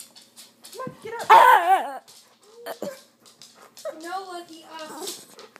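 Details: Rescue dog, female, that does not bark or growl like other dogs, making odd warbling, wavering howl-like vocal sounds, one loud burst then shorter moans, with people talking in Dutch nearby.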